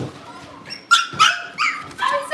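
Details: Cavalier King Charles Spaniel puppies at home awaiting pick-up by their new families: a few short, high whimpering yips rising and falling, each under half a second, with a woman's voice talking nearby.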